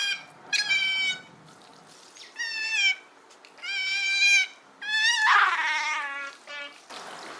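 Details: Otter uttering repeated drawn-out harmonic squeals about a second long, steady in pitch, with splashing water noise in the background.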